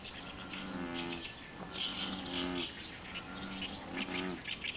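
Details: An American bullfrog gives three deep, droning, cow-like calls about a second long each, with high peeping chirps throughout, at a pond with a spot-billed duck mother and ducklings swimming and a grey heron flying.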